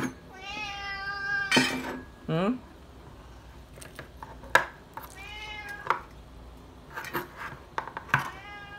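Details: Srintil, a pet cat, yowls for food with repeated loud meows, some long and wavering, others short, interrupted by sharp clinks of dishes and a person's voice speaking to her.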